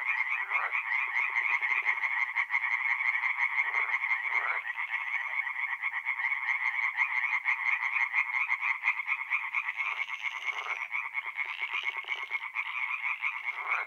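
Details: Night chorus of tree frogs at a forest pond in north-east Italy, mid-April: many callers in a continuous, grating pulse train, with lower, rougher croaks and brief rattling bursts breaking through at intervals.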